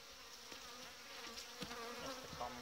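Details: Honey bee colonies in Romania during their final winter packing, wrapped simply without polystyrene insulation; a steady low hum with wavering overtones runs throughout, broken by soft clicks and light knocks of handling.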